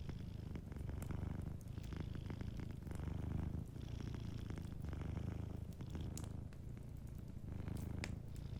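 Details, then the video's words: Gentle purr of a cat asleep near a crackling fire, low throbbing rumble rising and falling in cycles of about two seconds, overlaid by frequent small crackles from the hearth. "Warm Fireplace Ambience with a Sleeping Cat 🐱💤Fireplace & Soft Purring"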